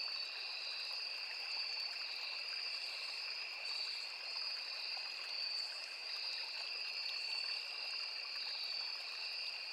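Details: Crickets, cicadas and other insects in a riverside forest produce a steady, buzzing high-pitched chorus on two sustained notes, unchanging in rhythm, backed by soft water trickle.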